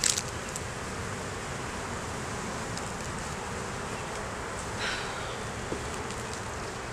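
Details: Buzzing honey bees at an opened hive during inspection, the colony with a laying queen, brood and honey. A steady drone carries on, with a short scraping rustle near the end. Recorded on a Canon Rebel T6 DSLR.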